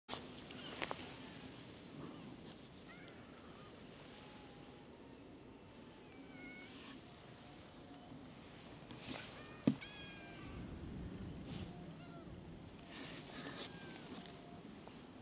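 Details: Stray cats on a cat island gather around someone sitting on a bench, giving several faint, short meows with a slight upward bend, scattered across the recording over a steady outdoor background with a sharp knock near the middle.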